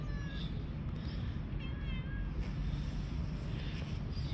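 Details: Stray street cats sit on a park bench outdoors, waiting to be brought food. A few short, thin meows rise and fall near the start and again midway, over a constant low rumble of traffic and wind.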